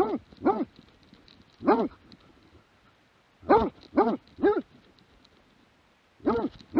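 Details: Plott hound recorded in 2017 barks in scattered groups, single barks and a quick run of three, with short quiet gaps between, each bark gruff and arching in pitch.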